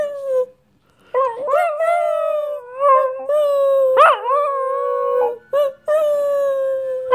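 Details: Domestic dog howling in a sustained, singing tone, wavering up and down, with short breaks and a sharp upward yelp-like swoop in the middle.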